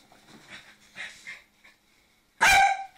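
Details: Lhasa Apso pup and adult playing together: soft whining and grumbling sounds over the first one and a half seconds, then a pause and one sharp, loud bark near the end.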